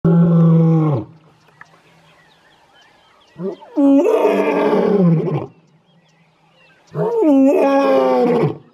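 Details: Wild male lion, one of three coalition males, near Leeupan in Kruger National Park, calling in the morning: three deep, loud roaring bouts, the first low and steady, the next two longer with rough, stepped harmonics, separated by quiet pauses.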